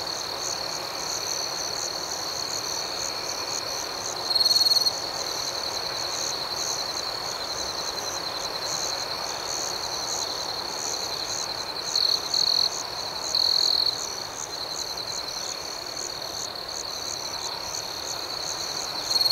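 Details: Crickets at night give a long, even high trill with rapid pulsing chirps throughout; several short louder trill bursts come in, one near the start and a few clustered later on.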